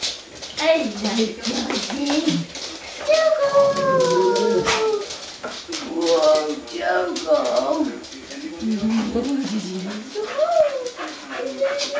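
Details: Five Soft Coated Wheaten Terriers perform the Wheaten greeting indoors, giving long, wavering, high whines that rise and fall, with a howl-like stretch in the middle, while people talk over them.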